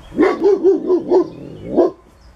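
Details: Barking dog recorded in northern Germany in June 2017: a rapid run of five clipped barks followed, after a short pause, by one more bark, with a faint outdoor background.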